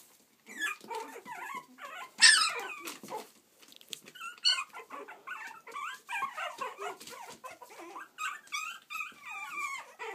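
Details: Several playful Yorkshire Terrier puppies in Stockport, Cheshire, UK, trading rapid squeaky yelps, wavering whines and small growls, with a sharp loud squeal early and steady overlapping chatter throughout.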